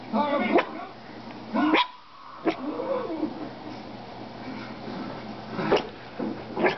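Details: A female pet dog barks at herself inside a room, giving short, sharp barks at uneven intervals, several close together, over a background of quiet talking.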